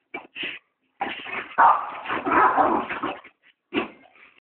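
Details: Two dogs at play in a yard with a ball give a few short yips, then a long run of harsh, overlapping growly barks and whining for about two seconds, ending with one more yelp.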